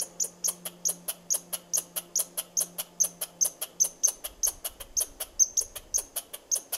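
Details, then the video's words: Squirrel chirping at the person filming: sharp, high, clicky chirps repeated rapidly, about two or three per second, in a steady pulsing series; a faint low hum runs underneath for the first few seconds. "Squirrel Chirping"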